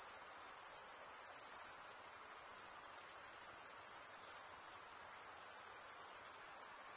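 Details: Male crickets stridulate in a dense, ceaseless high trill with a slight rapid pulsing texture, steady throughout, set over a faint low hiss and nothing else.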